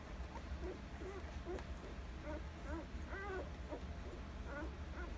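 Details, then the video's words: Nursing Alaskan Malamute puppies, one week old, litter of Rhema and Cole, September 2020; several short wavering whimpers with stacked overtones come in quick succession above a constant low rumble. "Rhema X Cole Puppies, September 25, 2020- 1 Week Old, Nursing"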